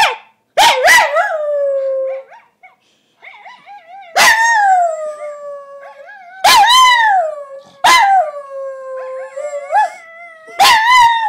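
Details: Male Coton de Tulear named Poppy reacting to footage of himself barking: sparse sharp barks, each followed by long wavering whine-like howls that slide downward, with quieter soft whimpers between bursts.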